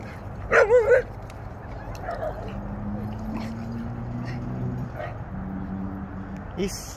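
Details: Dog at a dog park, an English Mastiff playing with a pit bull; a short wavering, whiny yip-like cry of three quick pulses early on, then steady low background hum and distant voices.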